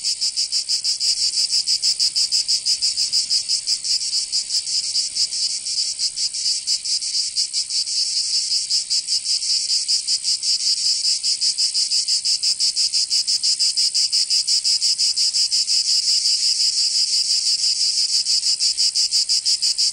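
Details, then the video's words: Cicadas singing in summer in Provence, southern France: a dense, high, buzzing chorus that pulses about three times a second without pause, steady and loud throughout, with no other sounds. "Canto Cigarra"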